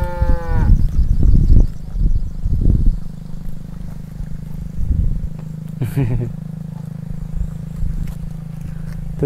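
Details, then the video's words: Agitated cow trapped in an irrigation ditch in a grassy field, giving a short harmonic moo at the start, then lower grunting lows. Background music and a man speaking are also heard. "Sapi NGAMUK Terjebak Dalam Saluran Irigasi - Suara Sapi Lembu Di Ladang Rumput"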